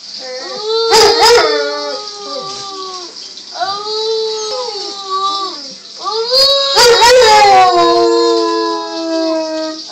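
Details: Pet dog howling together with a 4-year-old boy: long drawn-out tonal howls with wavering pitch, a loud first burst, a softer middle phrase, then a strong renewed howl that slowly falls and fades.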